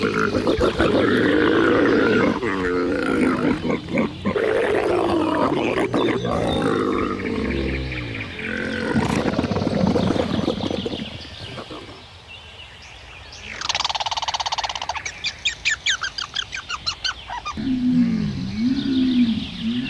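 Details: Camel letting out loud, rough roaring and gurgling grumbles for about ten seconds, a quieter gap, a burst of higher rattling squeals, then a wavering harmonic moan near the end.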